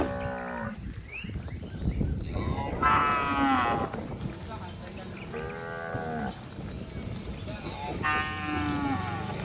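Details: Cattle herd leaping and running down a green rural hill; three or four moos of varying pitch, some hoarse and high, sounding a few seconds apart over constant trampling and low rumbling noise.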